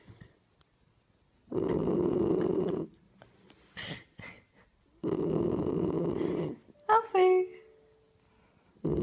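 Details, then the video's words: Springador puppy, a Springer Spaniel and Labrador cross, snoring while asleep. Two long, rough, rasping snores are separated by quiet breathing, with a brief squeaky whine near the end. "Puppy snoring"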